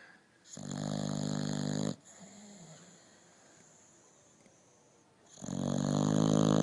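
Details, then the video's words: Sleeping dog giving loud, harsh snores, one long rough breath lasting over a second, a pause with a soft whimpering tone, then another loud snore starting. "Funny Dogs Snoring"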